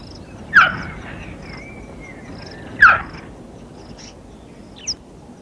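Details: Wild female cheetah in Africa calling her partly grown cubs to finish killing a captured impala, as part of teaching them to kill. Two sharp, high chirps come about two seconds apart. Faint whistled bird notes and a third short call sound in the background.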